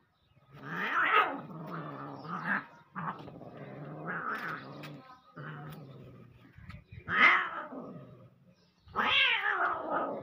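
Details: Domestic cats fighting: long, wavering caterwauls and low growls rising and falling in pitch, broken by short pauses, with sharper, louder wailing bursts near the middle and end.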